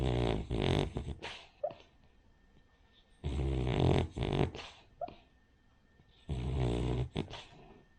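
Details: Asleep and snoring, Rin the Cavalier King Charles Spaniel gives three long, rough, rumbling breaths spaced a few seconds apart, with short snuffles and faint squeaky whistles between them.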